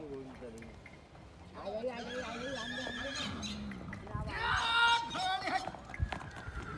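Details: Horse, a mare that refuses to be ridden, handled by traders: one loud wavering whinny with strong harmonics midway, surrounded by men talking and outdoor bustle.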